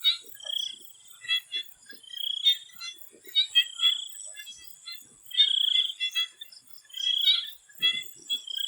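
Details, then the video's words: Swamp frog chorus in Thailand before sunset, with stretched rattling trills alternating with short clicky croaks, several animals overlapping, and a continuous high insect buzz behind. "The Relaxing sound of swamp frogs"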